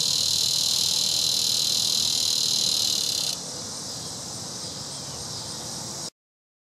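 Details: Several Neotibicen dorsatus cicadas calling near Topeka, Kansas, a continuous high, hissing buzz that drops suddenly in loudness midway, then continues more softly before cutting off.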